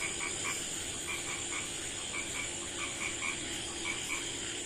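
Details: At night in a village, a small frog gives quick bright clicking croaks, often in pairs, about seventy per minute at uneven spacing, over a constant shrill background drone.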